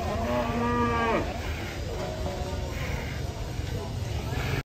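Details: A giant cow rampaging as it is unloaded from a truck: one harmonic-rich moo lasting about a second, steady then dropping at the end, followed by low rumbling noise and faint background voices.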